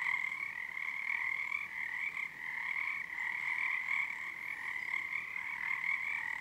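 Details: Many frogs calling together on Harstine Island, Washington, at night under a February full moon early in their season; an unbroken wall of rapid croaking trills holding two steady tones, with brief dips in loudness.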